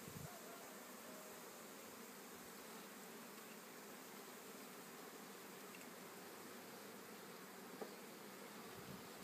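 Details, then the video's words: A honey bee swarm gives an even, hissing hum that stays level throughout, without distinct passing buzzes, apart from one faint click near the end. "Essaimage d abeilles"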